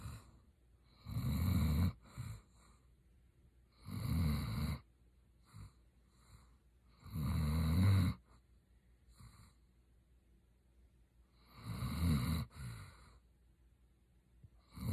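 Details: German Shepherd named Roxy asleep and snoring; loud low rasping snores in bursts about every three to four seconds, separated by quiet breaths.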